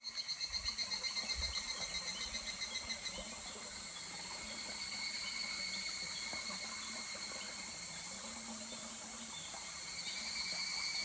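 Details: Evening cicada (higurashi) calling in July beside a murmuring stream at Kuragari Pass: a fast, pulsing, ringing trill that fades into a steady high shimmer over constant soft water noise.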